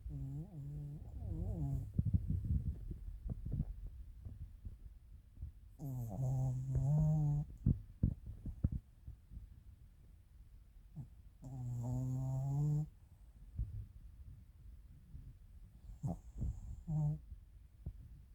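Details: Chiroru, a female Maltese-Shih Tzu cross born 22 July 2017 (Maltese father, Shih Tzu mother), recorded 1 March 2024 snoring: low rumbling breaths in several drawn-out bouts with nasal, whistly overtones, quieter pauses between.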